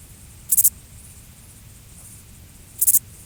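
A grasshopper gives two short, dry, high-pitched rasps, each made of three quick pulses.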